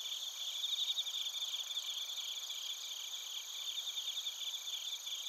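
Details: Bell crickets and other crickets near Narita, Chiba Prefecture, Japan, recorded on a TASCAM Portacapture X8: a continuous shrill high ringing with steady bright tones, overlaid by rapid pulsed chirps repeating without pause, nothing else audible.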